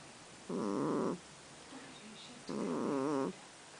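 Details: Kitten named Tigger, possibly to be renamed Baggins, that snores whether asleep or awake: two rough, buzzy, harmonic breaths under a second each, about two seconds apart, with quiet room background between.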